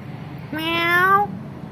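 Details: Kitten in a family home meowing in reply to its owner: one clear, slightly rising harmonic meow lasting under a second, over a quiet indoor background.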